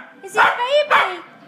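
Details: A four-year-old female dog and an eight-week-old puppy play fighting for the first time: two loud, harmonic yelping barks about half a second apart, over faint background voices.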